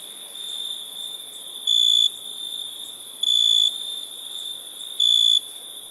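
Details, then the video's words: Nighttime crickets giving a continuous high trill, broken by three louder, sharper bursts of about half a second each, spaced roughly every one and a half seconds. "Relaxing Chirping Crickets"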